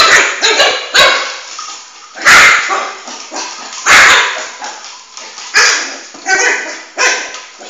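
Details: Flame, a male Shih Tzu puppy about four months old, chases his ball around the house and gives sharp, harmonic yaps in irregular bursts, with loud thumps and scuffles between them.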